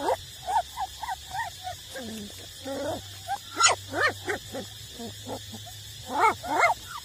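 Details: Eight-week-old puppies nursing from their mother, street dogs; rapid high whining squeals and grunts from several pups, uneven bursts roughly every second over a constant low hum.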